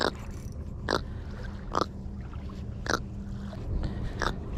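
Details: A grunt fish, roncador, just caught while fishing, snoring: short broadband grunts repeated roughly every second, five in all over a low rumbling background, with men talking nearby.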